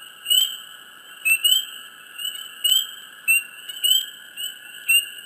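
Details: Close chirping frogs in a swamp: sharp rising chirps, often in quick pairs, arrive roughly once a second with crisp clicking taps, above a constant high ringing hum.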